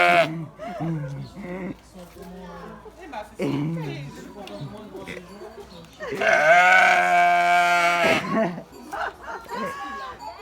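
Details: A sheep gives one long, strong, quavering bleat lasting about two seconds in the second half. People, including a child, chatter before and after it.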